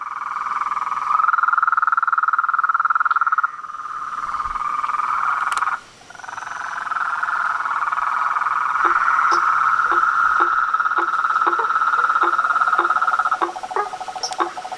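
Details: Chorus of frogs, toads and treefrogs: a steady mid-pitched buzzing trill broken by a short pause, then joined by sharp clicking notes repeated roughly every half second over the continuing drone.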